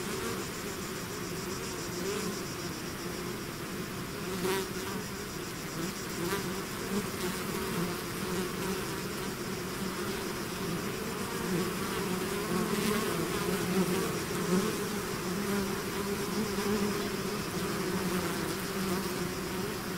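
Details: Many bees buzzing as a swarm emerges from its hive, a steady wall of droning wingbeat noise that gently rises and falls, with occasional nearer bees zipping past.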